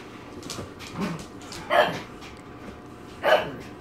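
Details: Female dog barking during a meeting between a Great Pyrenees and an English Bulldog, asserting herself as queen bee; two sharp barks about a second and a half apart stand over softer huffs and low background noise.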